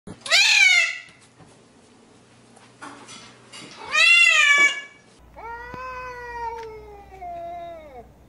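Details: Angry domestic cats meowing loudly: two harsh, rising-then-falling meows in the first half, followed by a longer, lower, steadier wail that slowly drops in pitch, with quiet pauses between calls.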